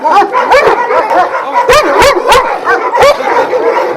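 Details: Pack of twelve Vujanski-line Šarplaninac dogs kept at a kennel in Jasika by Kruševac: several dogs bark at once, sharp barks breaking over a steady layer of whining, yelping voices.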